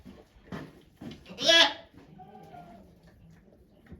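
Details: Goat on a farm in Japan during a doe's delivery of two kids, 3 May 2023; a single loud, quavering bleat lasting about half a second, with faint murmuring before and after.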